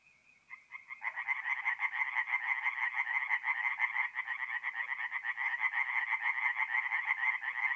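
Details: Singing tree frogs at a forest pond at night in mid-April in North-East Italy. A faint call opens, then a loud chorus bursts in after about a second: dense, rapid rattling croaks pulsing roughly twice a second.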